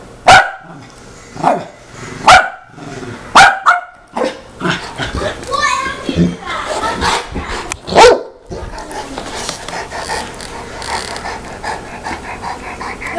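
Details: Saint Bernard giving booming single barks over the first eight seconds, followed by rustling and steady background noise.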